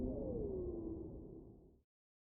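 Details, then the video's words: Humpback whale singing: a single smooth moan sliding downward in pitch over about a second, set in a rumbling low wash that fades out and stops abruptly under two seconds in. "Whale Sounds: Humpback Whale Sounds| Whale Sound Effect| Whale Singing"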